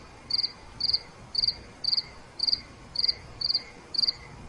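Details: A cricket chirps steadily at night, each high, pulsed chirp repeating about twice a second.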